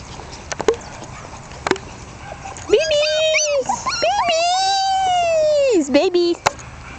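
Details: One-month-old Jack Russell Terrier puppies, born 27 October 2010 to Yeti Romany Storm and Romany Rio, give two long, drawn-out whines that hold steady, then rise and fall. Scattered clicks and handling noises come before them.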